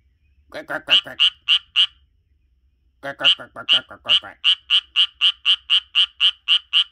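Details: A Japanese tree frog living in a garden sings a duet with a person, giving quick, bright, nasal croaks about four a second after the person's voice joins in.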